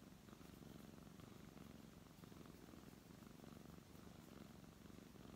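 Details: Steady low purr from a brown tabby cat as it is stroked, the rumble rising and falling with each breath in a quiet indoor setting.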